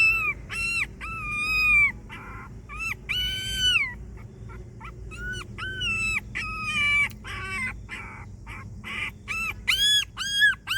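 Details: A homeless dog making pitiful sounds as if asking for help: a continuous series of high, nasal whines and yelps, some drawn out with falling ends, others short and clipped, coming rapidly one after another over a low hum.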